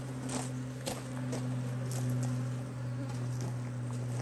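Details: Honey bees buzzing around a HiveIQ hive in Australia, almost mid-Autumn 2023, as the hive is opened to under-super it with an extra box; a low steady hum with a fainter higher overtone, broken by soft clicks and handling taps.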